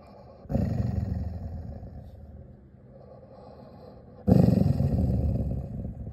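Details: An angry Labrador Retriever gives two deep, rough growls, each lasting a few seconds. There is a quiet pause between them.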